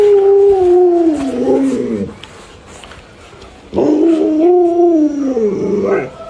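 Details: Alaskan Malamute pet producing two drawn-out howling phrases separated by a quiet pause, each sliding downward and breaking into wavering, whiny notes, with some speech in the background.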